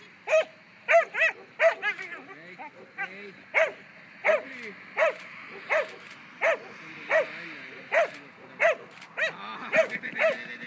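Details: A 2-year-old German Pinscher barks sharply and steadily during protection training, about one loud bark every second or less.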